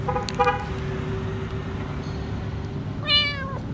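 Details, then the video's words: Lone frightened kitten under a food truck outside a grocery store, calling for food: a short, flat meow at the start, then a longer, bending wail near the end, over a constant low hum from the street. "Poor little kitten is afraid and asking for food"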